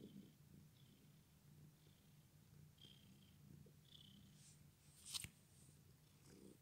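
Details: Injured-legged male house cat purring quietly, a faint continuous low rumble with gentle breathy pulses, broken near the end by a brief sharp click.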